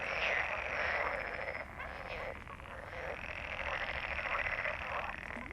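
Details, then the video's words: Many frogs croak at once in a thick, steady rasping chorus, rapid overlapping pulses swelling and easing, with a brief dip in loudness near the middle. "Frogs croak/ Rechot żab/ Frösche quaken"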